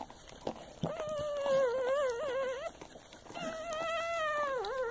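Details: Newborn Soft Coated Wheaten Terrier × Shiba Inu puppy, just born, crying in two long wavering whines, each a sustained squealing tone with a slight wobble and a dip at the end, separated by a short pause.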